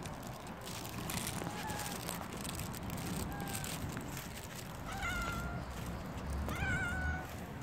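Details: Stray tortoiseshell cat that has come by early in the morning, pestering: two clear, rising-then-falling meows near the end, with faint shorter mews earlier over a steady outdoor background rumble.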